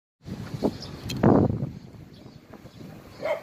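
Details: Dog at the Hanna's rescue shelter for abandoned dogs in Daegu, giving one loud, short bark in the middle, with fainter noises around it and a higher call at the end.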